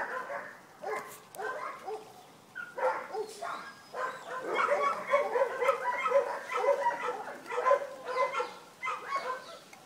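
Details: Vizsla puppies at Wey Farm Kennels yipping together in a busy litter chorus: short, bright overlapping yelps in quick irregular bursts, growing denser and louder through the middle before easing off.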